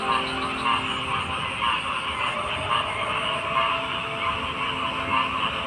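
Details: Many frogs calling together in an unbroken night chorus, rhythmic croaks pulsing roughly once a second above a constant high shimmering trill.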